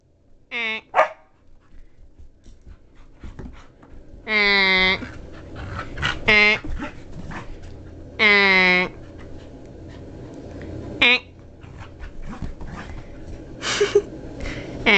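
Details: Female Border Collie, one of two kept as pets, that gets frantic when it hears honking and whips a rope toy around. Short harsh barks and drawn-out honking tones come in bursts every few seconds, with a person talking and noise throughout.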